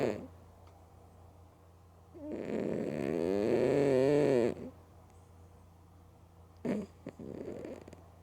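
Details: Mookie, a female pet cat, snoring loudly while asleep with her eyes open: one long, rough, rasping breath lasting about two seconds, with wavering tones, then quiet and a shorter snort near the end.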